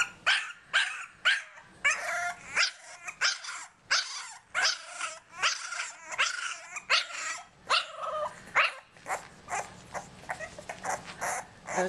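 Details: English Bulldog puppies born November 2012, home-raised, making a lot of noise; a run of sharp, high yapping barks and yips, roughly two per second, some drawn into whiny squeals, with a low hum in the final seconds.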